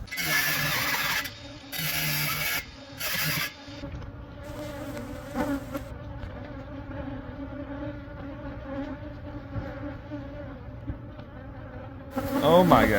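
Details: Honey bees from a hive that had lived for months inside the wall of a Catholic church building near a school in Monrovia, during removal for a beekeeper. Bursts of loud broadband noise open, then a steady low droning hum.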